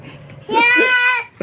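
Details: A goat that a boy plays with all day gives one short bleat: a steady, strongly harmonic call lasting under a second, with faint indoor background noise before it.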